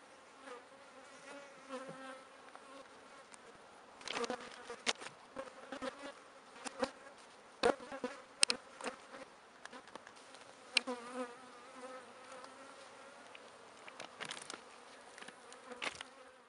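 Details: Bees where pollen is being stored keep up a low, layered buzz while frequent sharp clicks and rustling knocks crowd the recording, especially in its middle stretch.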